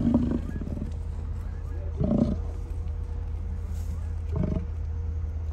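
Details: Bison in Hayden Valley, Yellowstone, Wyoming, beside Grand Loop Road on an August 2023 evening, heard from inside a car: three short, gruff, roaring bellows about two seconds apart over a constant low hum.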